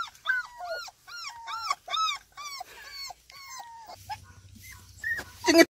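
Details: Several young kolfi puppies kept in an enclosure in the morning, playing and trying to get out: high, whiny yelping barks that rise and fall, about a dozen in quick succession, then sparser calls with a faint low hum underneath.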